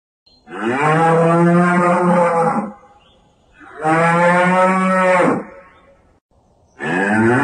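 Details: Banteng lowing: long, loud, rich cattle-like moos of about two seconds each, steady and deep with a harsh edge, repeated after short gaps, three calls heard with no other sounds.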